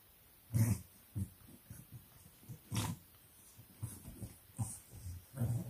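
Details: Bulldog puppies of the English breed roughhousing in their pen at 4 am in Nairobi, Kenya, giving snorting grunts and short low growls, several sharp knocks or thumps mixed in.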